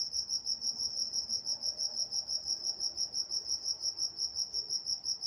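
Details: Crickets at night in Walnut, California, chirping in a steady, high, pulsing trill, about three pulses a second, with a fainter band of higher tones above and a quiet background.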